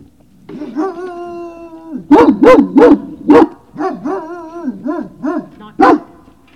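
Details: At Puppy Hill on 19 February 2019 in the evening, a Great Dane puppy gives a steady, high whine. Then comes a run of sharp, rising-and-falling yips and barks, about three a second, ending in one louder bark.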